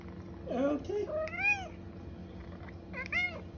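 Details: A female pet cat meows in a way that sounds like "okay": a short low wavering mew, then two bright arched meows about one and a half seconds apart over a steady indoor hum, with a person speaking to her.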